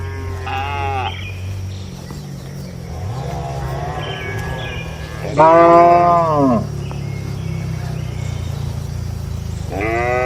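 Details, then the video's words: Cattle lowing at night inside a traditional rural shed: three separate long moos, the middle one loudest and falling in pitch, over a steady low hum of wind or machinery. "Suara Malam di Kandang Sapi Lembu"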